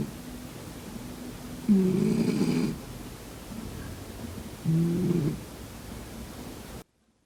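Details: Cat snoring while asleep: two rough, low, nasal snores about three seconds apart, each lasting under a second, then the recording cuts to silence.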